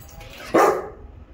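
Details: A Rottweiler in training gives one abrupt, loud bark on command, quickly fading, after a handler repeatedly says the word speak.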